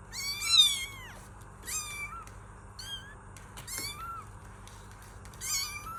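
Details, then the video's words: Kittens meowing in a string of clear, rising-then-falling mews with bright harmonics. Several calls come close together early on, then single mews follow at about one-second gaps over a steady low hum. "Kittens Meow || Kucing Mengeong || Meow Sound Effect || Kitten Sound"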